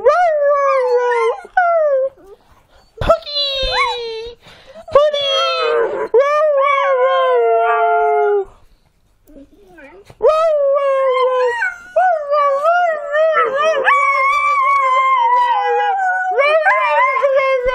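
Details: Podenco dog (Canis lupus familiaris) howls in long, wavering, yodel-like notes that slide up and down in pitch.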